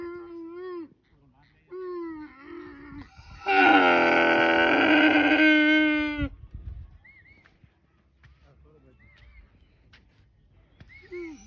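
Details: Camel giving a loud, harsh, drawn-out moaning bellow lasting about three seconds, rich in rough overtones, between softer tonal voices and brief quiet pauses.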